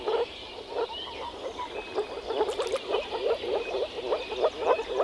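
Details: Chorus of male moor frogs at a spring breeding pond, calls made with vocal sacs during mating: quick muffled pulses, roughly three per second, loosely rhythmic, with a few thin whistled notes high in the background.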